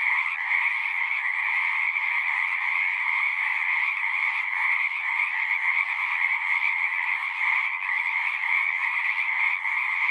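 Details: A constant chorus of singing frogs, countless overlapping trills merging into an even, shimmering drone across a high and a lower band, sustained without breaks for the full length.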